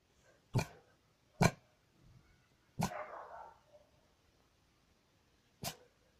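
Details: A Maltese dog barking indoors: four short, sharp single barks, three within the first three seconds and a last one near the end, with quiet pauses between and no other clear sounds.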